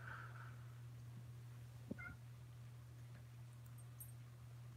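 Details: Kittens at Alley to Attic in Alabama, filmed indoors at home on 28 May 2018, give two short, faint harmonic meows, the second slightly higher, over a steady low electrical hum.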